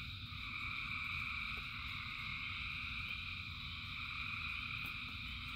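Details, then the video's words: Frogs by the thousands call together in rain: a steady, shimmering wall of high trills with no gaps, over a soft low rumble of falling water and occasional sharp ticks. "Frogs in Rain 2 Hours of Frogs, Thousands of Frogs Singing"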